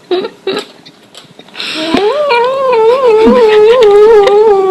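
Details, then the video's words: Pet cat with a strange voice indoors: two short chirpy bleats, then a long, loud, wavering yowl lasting nearly three seconds, its pitch rising slightly and undulating, over light clatter. "Cat's strange sound. Cats make strange sound"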